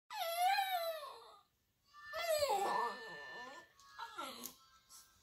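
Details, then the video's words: A Boxer puppy howls in reply to a video of another puppy howling, which plays in the background, giving long, wavering, tonal wails that rise then fall, with short breaks between. "Boxer puppy Gizmo howls"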